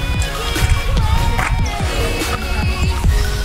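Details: Busy background music with pulsing beats and bright melodic tones fills the short stretch, with no animal sound.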